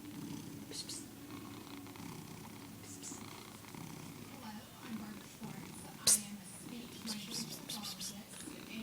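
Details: Male domestic cat purring and cackling in an unusual way, a steady low pulsing purr running throughout, broken by brief higher chattering bursts, with a person talking quietly nearby.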